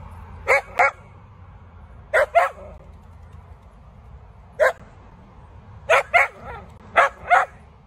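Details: Sausage dog (Dachshund) barking in short bursts, mostly paired yaps separated by pauses of one to two seconds, about ten barks in all, with a faint low rumble behind.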